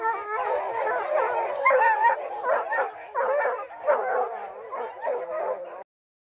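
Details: Rocky, a dog bred from Gray's Rack Em Willy and Blackstone's Ram-Paige, on opening day of black bear training season, July 2024: steady run of drawn-out, harmonic baying barks, roughly one per second, ending abruptly near the close.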